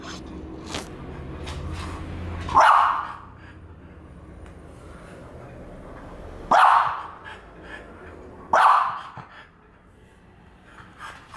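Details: A French Bulldog, a female, furious at a French Bulldog figurine, gives three sharp barks at about 2.6, 6.5 and 8.7 seconds, separated by quiet stretches with a woman's voice and faint room noise.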